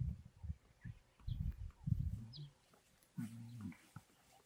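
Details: Lions of the Madrid pride on Blue Canyon Private Game Reserve in summer, where two young males learn to roar from their fathers; deep, low grunting bursts come in a rough series, then a longer droning moan, with faint bird calls above.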